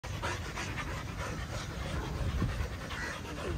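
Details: Russian Samoyed dogs kept in Kerala, panting: rapid, breathy, rhythmic huffs run steadily through the whole stretch over a low background rumble.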